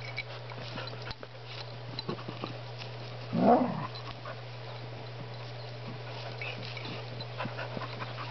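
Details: Spruce and Griffin, two dogs wrestling indoors, produce one brief, loud, rough growling burst in the middle of the clip. A steady low electrical hum and soft scuffling run underneath.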